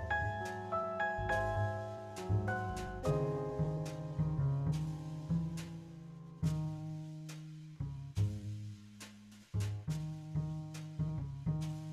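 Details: Jazz-style piano and plucked double bass play a gentle tune, with no animal sounds.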